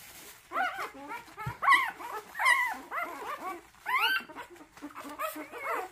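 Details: An orphaned puppy that lost its mother, on its third day of hand-rearing, gives a run of high, squeaky whimpers and yelps, rising and falling in pitch, several per second with brief gaps between bursts.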